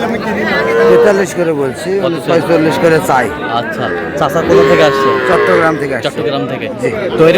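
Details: Lowing at a Chittagong cattle market, Bangladesh, amid Sahiwal bull calves on sale: a short level moo early on, then a longer, slightly falling one midway, both half-buried in loud nearby talk and crowd noise.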